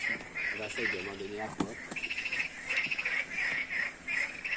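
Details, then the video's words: Frog chorus at night, a dense ongoing mass of rapid, pulsed croaks repeating about two to three times a second, with a man's voice speaking French over the first part. "Écoutez ce balai de grenouilles."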